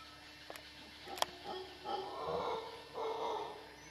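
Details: Howler monkeys in Costa Rica's western dry jungle roar in the distance, a low, hollow, rushing chorus that rises and falls in drawn-out surges; two sharp clicks sound near the start; howler monkey.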